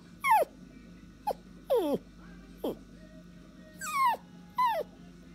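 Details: Dog calling for its owner with quieter descending whines and yelps, six short sliding notes spaced irregularly over five seconds, against a low steady background hum.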